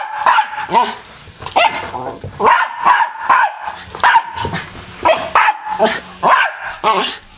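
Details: Pet dog barking and lunging at a fan decorated as an M&M character, sharp repeated barks in quick bursts about every half second, with speech and music in the background.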